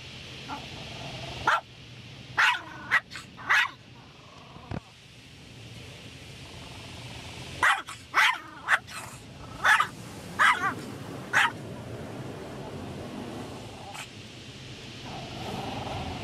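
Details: Shih Tzu named Sarah, who hates the car wash, barking in sharp bright bursts: a cluster of three near the start, then a run of about seven more in quick succession, over a steady low mechanical rumble.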